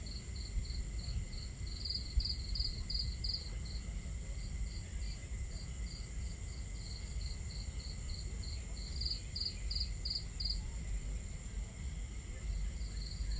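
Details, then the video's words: Crickets at night around a campfire under the stars keep up a continuous string of high, regular chirps, with two louder clustered bursts early and late, over a steady low wash of water and crackling flames. "Crackling Fire, Crickets, Water Sounds"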